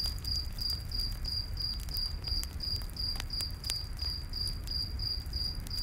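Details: Regular high-pitched cricket chirps, about three per second, ring through a night forest, with occasional sharp campfire pops and a low flame hiss underneath.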